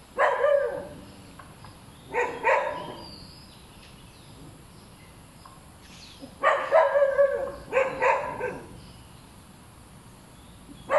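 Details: Dog barking in short clustered bursts of two or three sharp, harmonic barks, groups separated by quiet stretches of a few seconds, with a steady faint hiss behind.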